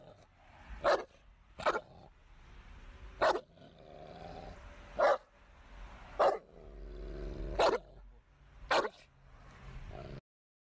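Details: American Bully dog barking: seven short, loud, sharp barks at uneven intervals of roughly one to one and a half seconds, over a low steady droning background.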